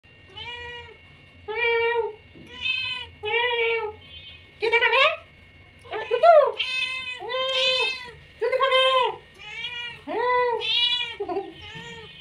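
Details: Hungry domestic cat meowing insistently: a long series of clear, arched meows about one per second, some drawn out and wavering, a few rising sharply, in a quiet indoor setting.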